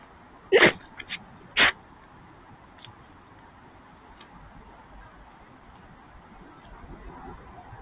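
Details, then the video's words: Wild urban fox sneezing right at the camera: two sharp, explosive bursts about a second apart, with a small snort between them, followed by quiet background hiss. "Fox sneezes on the camera."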